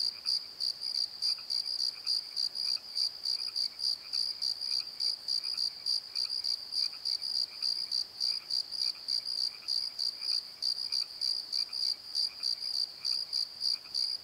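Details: High crickets chirp steadily through the dark in a valley bottom by a tree, captured on a Nikon D7100; rapid, evenly spaced ringing pulses continue throughout, with a weaker lower chirping layer.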